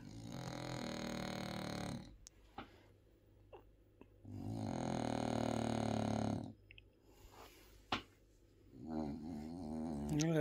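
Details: French Bulldog Bob snoring through a nap: two long raspy rattling snores with a pause between, then a softer wavering snuffle at the end and faint clicks.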